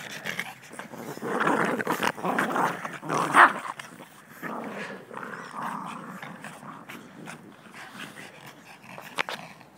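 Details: Yorkshire Terrier family of six, mother, father, three daughters and one son, caught on an old camera in January 2011; rumbling growls swell and fade, broken by one sharp bark midway and a brief yap near the end.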